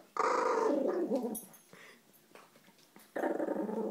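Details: Maltese dog indoors guarding its food bowl after taking another dog's food, giving a harmonic growling vocalization that sounds almost like talking, a long growl then a pause and another growl starting near the end.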